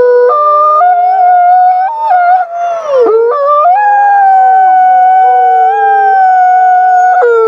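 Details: Wolves howling at night: several overlapping drawn-out howls held at steady pitches, stepping up and down together, with one voice sagging low and rising again near the five-second mark.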